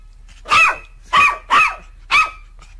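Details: Domestic dog barking four times in a steady series, about half a second apart, each bark short and sharp over quiet background hum.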